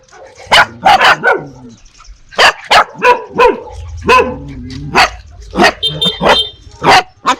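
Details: Quick series of sharp, high dog and puppy barks, some paired, spaced under a second apart, with a short squeaky whine midway; dogs bark fiercely at strangers while puppies bark at familiar people.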